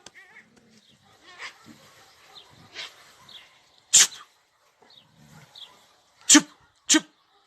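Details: Several dogs barking early in the morning while attacking a cat, heard from a balcony: scattered soft yelps and growly sounds, then three loud, harsh, sharp barks near the end, the last two about half a second apart.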